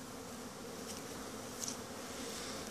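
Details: Honey bees in a mass winter cleansing flight from Langstroth-Root hives, entrance guards removed so they can fly out. A full, steady buzzing drone with low banded overtones, plus a few faint high ticks.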